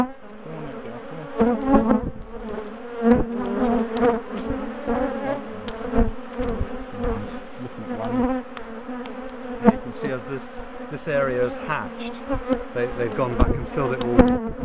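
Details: Honey bees from a big, defensive colony, known for ambushing and chasing their owners, buzz loudly as their top bar hive is dismantled, split and moved. A steady low hum with wavering overtones runs throughout, broken by frequent knocks and clatter of hive handling.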